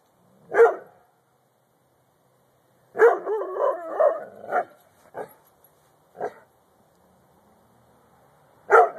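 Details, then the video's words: Barking from Luigi, a pet dog: a lone bark, then a longer vocal burst of bark-growls and several shorter barks, ending with another strong bark. "luigi barking"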